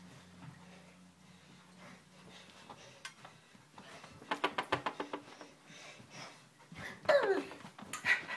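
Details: Ramo, a nine-week-old Siberian Husky puppy, plays and breathes in a run of quick, breathy, evenly spaced pants, followed by a brief high whine near the end, with a person's voice nearby.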